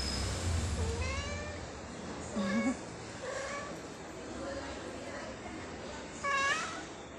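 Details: Stray mother cat with her three kittens, recorded at 22:18 on 10.12.23. Several short, high, wavering meows, the first drawn out and falling, then rising-falling calls near the middle and a louder one near the end, over a steady low hum.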